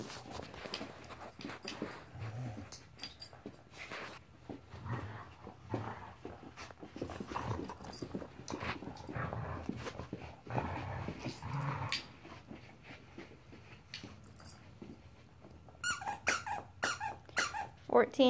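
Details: Marvel, a 14-week-old puppy, playing indoors: rough panting and low grumbling growls in uneven bursts, scattered clicks and rustling of handled objects, a few sharp squeaky notes near the end, with brief human talk.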